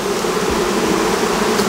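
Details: Many Western honey bees buzzing at an open hive in an apiary while mature honey frames are taken from supers; a dense, steady droning hum with a low tone throughout, loud and unbroken.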